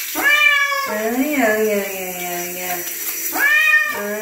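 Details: Domestic bobtail cat meowing while being bathed indoors: a long drawn-out meow with a rising start and wavering, falling middle, followed by a second shorter meow near the end.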